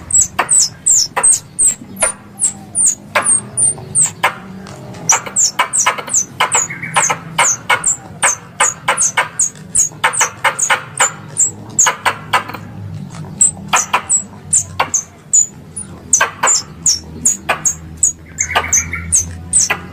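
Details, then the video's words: Squirrel calling, played as a lure for air-rifle hunters around Mount Kelud, Kediri, Indonesia: long, dense run of piercing high chirps, each dropping quickly in pitch, repeated in quick irregular bursts with occasional lower buzzy notes and faint background rumble. "Suara Tupai 3 In One Terbaru Sebagai Penyempurna Suara Pancingan Tupai"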